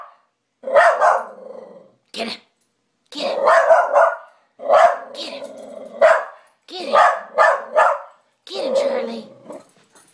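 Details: Pet dog barking madly at night at its own reflection in a mirror, treating it as an intruder; bursts of loud harsh barks in clusters of two or three, with a low growly undertone between them.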